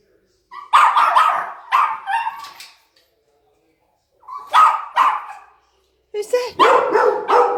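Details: Pet dogs going crazy with excitement as their owner arrives home give clustered yappy barks in three bursts separated by short silences, with a person's voice mixed in.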